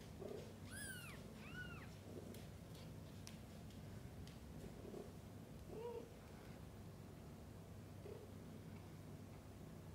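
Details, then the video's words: Mother cat feeding and bathing kittens: two clear high meows near the start, then soft, lower murmurs and faint calls scattered through the rest over a low steady hum. "Mother cat feeding & bathing kittens: sounds of pure love."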